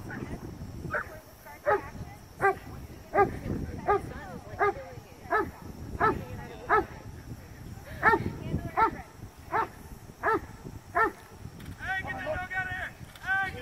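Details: Carmine D'Oro, a Cane Corso from Legendary cane corso kennel, barking during PSA PDC protection work: a long run of steady, forceful barks about one every 0.7 seconds, ending with a person's raised voice.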